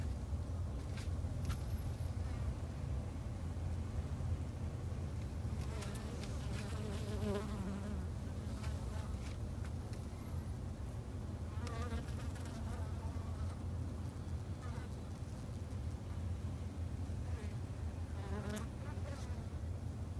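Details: Japanese honey bees kept by a beginner garden beekeeper in Japan; several short wavering buzzes of passing bees rise and fade over a steady low rumble, with clicks and taps now and then.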